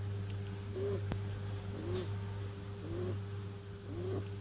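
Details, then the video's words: A snoring kitten in its sleep gives faint, brief whistling squeaks about once a second against a constant low hum and soft breathing noise. "Snoring kitten"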